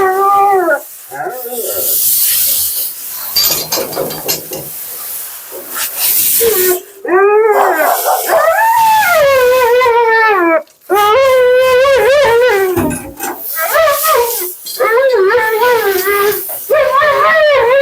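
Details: Mila, a talkative female Siberian Husky on her second-ever groom, protests during her bath with wavering, whining howls that rise and fall in pitch, broken by spray noise, hissing water and brief human words.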